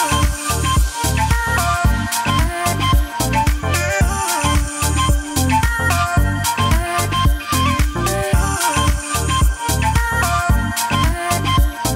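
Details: Loud upbeat Afrobeat-style music with punchy drums, deep bass and layered instruments throughout, and no animal sounds heard.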